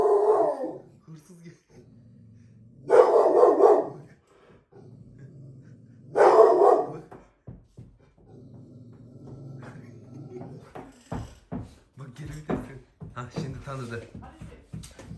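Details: Presa Canario dog at a family home, noticing a visitor arriving before they reach the garden: two loud, rough barks about three seconds apart, followed by people talking and greeting nearby.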